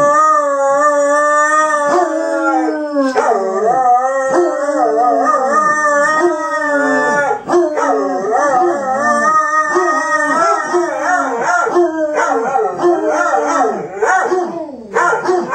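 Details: A dog named JB howling after his owner left him: long sustained wavering howls with rich harmonics, rising and falling, breaking into shorter yodelling wails and yips toward the end, loud and close.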